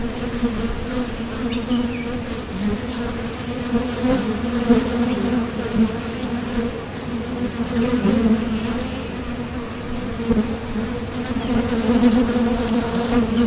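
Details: Continuous drone of honeybees landing at and leaving a Top Bar Hive entrance on the way to forage for nectar, the low hum rising and falling in loudness over thirteen seconds as flyers pass near.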